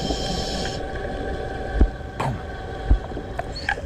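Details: An Atlantic goliath grouper off Florida gives deep, thudding underwater barks, a dominance display telling a diver hunting invasive lionfish to back off.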